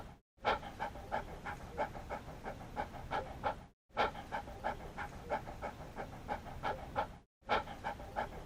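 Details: Fast, harmonic huffing from a panting dog, around three breaths a second, with two short silent breaks splitting the stream into even stretches.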